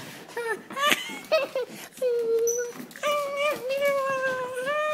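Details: Bella, a hyper female Italian greyhound, vocalizing in excitement on seeing her owners indoors: a string of high, drawn-out tonal whines and yelps, some held steady and others rising, mixed with brief human voices.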